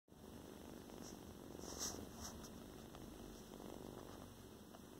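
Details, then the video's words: Tiny foster kitten purring indoors, described as very small with a loud purr; a steady low rumbling purr runs through the whole stretch, with faint room noise. "Yes, you're so teeny tiny, but you got a loud purr."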